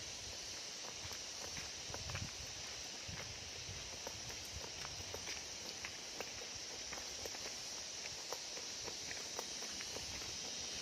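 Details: Crickets at Dam-Agan Falls in Katugasan, Dimiao, Bohol, Philippines, a remote waterfall spot. A steady, high-pitched unbroken trill runs throughout over rushing water, with scattered footstep clicks.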